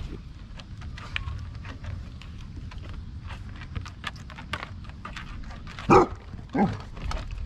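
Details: Basset hounds, Mo and the gang, playing outdoors in the rain during hot weather in east Tennessee; two short, loud barks near the end, about half a second apart, over steady rain patter and low rumble.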